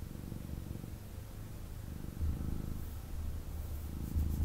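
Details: Male kitten snuggling in its owner's arms indoors, purring; a dense, vibrating low rumble that swells louder in the second half, steady and close, with faint rustling near the end.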